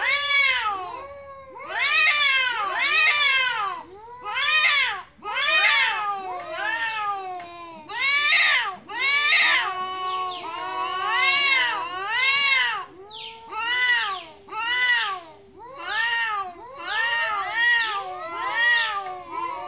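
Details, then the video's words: Cat sounds offered as a way to show anger to cats: loud, drawn-out caterwauling meows in a long overlapping series, each a bright arched wail, with brief pauses between bursts. "Cat sound | cat music"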